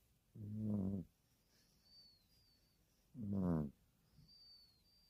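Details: Puppy asleep and snoring, two drawn-out buzzy, harmonic snores nearly three seconds apart with a softer breath after; faint high bird chirps in the distance.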